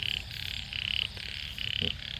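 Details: Small frogs (khiat) calling in a rice paddy in Sisaket, Thailand, on the morning after heavy rain. High, raspy pulsed notes come in three bursts of about a third of a second each. A continuous chorus and low rumble run beneath them.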